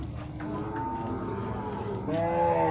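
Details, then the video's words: Bulls at a cattle fair in Tabira, Pernambuco, recorded on 6 April 2022, give a drawn-out moo with a steady harmonic tone that rises in pitch toward the end, over a busy background of crowd noise. "Bois brabos da feira de gado"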